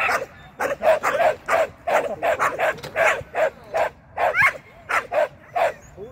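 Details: Sian, a Shetland sheepdog, excited at agility training, with a first seesaw flyer and a first tunnel run. Steady, fast barking runs in pairs and singles through the whole stretch, with a brief whine near the end.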